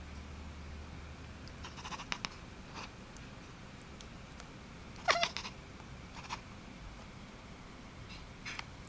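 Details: Playing kitten utters one brief, sharp, rising chirp midway through, surrounded by scattered clicks, taps and rustles from its play over a quiet, humming room.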